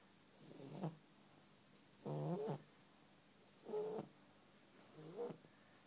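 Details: Sleeping pet bulldog snoring loudly: four heavy, rasping breaths spaced roughly one and a half seconds apart, each a throaty rattling snort with a nasal whistle, quiet gaps between.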